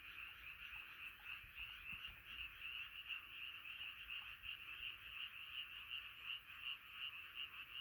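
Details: Night chorus of frogs gathered together, a bright, pulsing trill of countless voices throbbing about three times a second, continuous and fairly even, with only faint background hiss.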